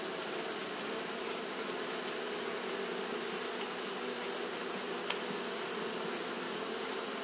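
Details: Japanese honey bees fanning all through a hot day; a dense, constant humming drone in the low range, a steady high whine above it, and one brief click midway.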